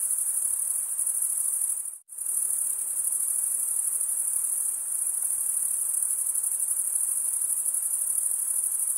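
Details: A steady chorus of stridulating crickets, males rasping wing against wing. It makes a shrill, continuous high trill that cuts out sharply for a moment near two seconds, then resumes unchanged. No other sounds.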